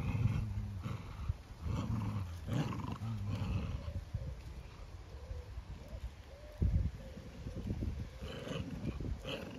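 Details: Farm dogs in County Kilkenny, Ireland, growling over a scrap of timber in a morning tug of war. Low, rumbling growls run almost continuously, with louder surges early on and a sharp burst near the end.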